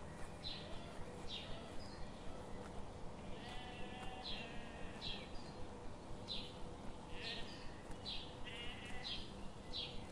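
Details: Sheep grazing in a forest under the morning sun; short, bright, buzzy bleats repeat at a steady pace of roughly one per second over a constant low rumble of background noise.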